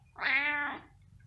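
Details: A house cat gives one drawn-out meow of about half a second, strong and harmonic, starting bright then easing down in pitch, over a quiet low hum.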